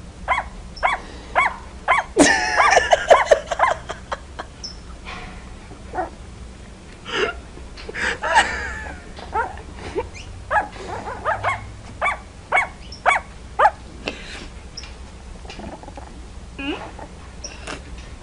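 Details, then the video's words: Puppies learning to bark give short, sharp, high yips in loose irregular runs of roughly two per second, with a denser, louder burst of barks early on and quieter isolated yaps afterward; low indoor background hum. "Puppies Barking - Cute Puppies Barking Compilation"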